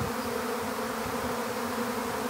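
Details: A honeybee swarm being captured into an empty hive. A steady, even, low hum continues unbroken throughout, with no other clear sounds.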